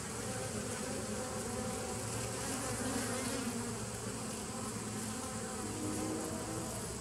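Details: Massed bees in a 2017 nuc, recorded 27 September 2018, produce a constant low drone; a slightly stronger hum rises around the third second, then settles back into the even, dense buzz.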